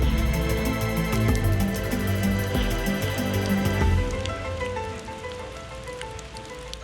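Instrumental music plays over a soft background of rain, with no animal voices.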